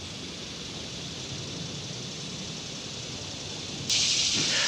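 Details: Steady broadband hiss like rain or a running fan, with a sudden louder burst of bright noise near the end and no animal voice.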